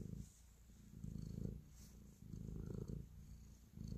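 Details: Kneading cat purring with affection indoors; soft low vibrating rumble in several breath-length pulses, quieter in-breaths between, with faint high hiss in the background.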